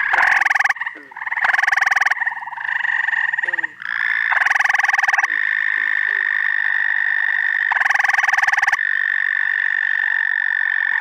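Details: Upstate New York frog chorus in the first week of June, mixing winding-down spring callers with starting summer callers. Loud bursts of coarse pulsed trilling alternate with a long steady ringing trill, while soft low downward croaks sound in between.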